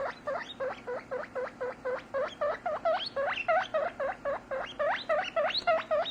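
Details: Male pet guinea pig making happy noises while being squeezed as he drinks milk: a steady run of loud, rising squealed whistles, each sweeping sharply upward, repeated about four times a second without pause.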